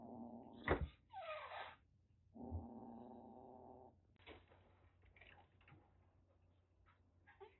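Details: Threatening rescued three-coloured kitten, roughly six weeks old, kept indoors in Kagoshima, Japan: a sharp spit, then a rasping hiss, then a low harmonic growl of about a second, followed by quiet clicks and rustling.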